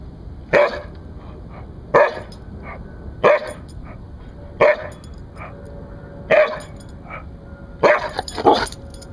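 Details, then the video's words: A Siberian Husky, a rescue dog, gives sharp, clipped guard-dog barks, one about every second or so, with brief pauses. "Husky Rescue - Bark Guinness Bark"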